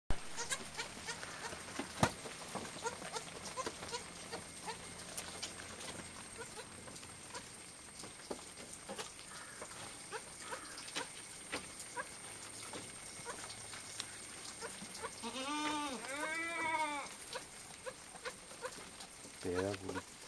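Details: Three young goat kids drinking milk; mostly soft rustling and handling noise, then two wavering, nasal bleats close together near the end and a short bleat right at the finish.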